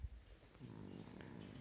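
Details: A sleeping Chihuahua under a blanket snores like a person: a soft, low, rumbling snore with a faint harmonic hum that starts after a short pause and holds steady to the end, in a quiet room.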